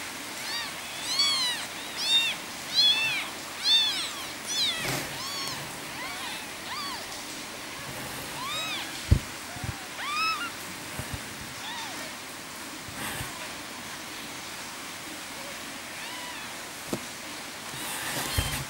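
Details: Three kittens, three days old, crying for their mother cat: rapid series of high, arched mewing cries at first, then softer, sparser calls, with occasional knocks and rustling.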